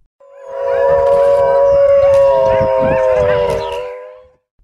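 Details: Wolf howling: a single long, steady, even-pitched howl lasting about four seconds, with several voices overlapping in a chorus and faint higher wavering tones above.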